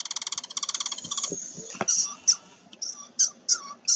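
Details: Red squirrel played as a non-frog quiz recording in frog-survey training, its small shrill cry liable to be mistaken for a frog: a rapid train of high pulsed notes, then sharp, piercing squeaks spaced about half a second apart.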